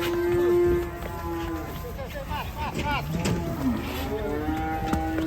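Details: Cattle in a compilation of raging cows. A long, flat, steady low moo opens the clip, followed by shorter bending, wavering calls with a constant high hiss and background rumble.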